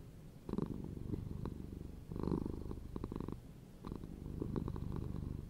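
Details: Low rattling purr from a cat, coming in uneven surges with short soft gaps, the vibrating rumble strengthening and easing over a few seconds.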